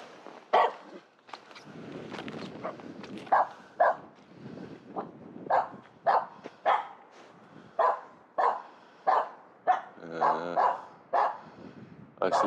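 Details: Finnish Spitz female barking at a squirrel high in a pine tree in a local forest on New Year's Eve morning; sharp single barks repeated about once a second, with a longer yelping burst near the end and footsteps between.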